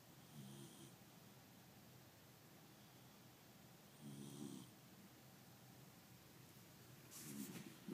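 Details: Male dog snoring loudly while asleep with his eyes open indoors; soft, low, rasping snores come in three short bursts roughly every three to four seconds over a quiet hiss.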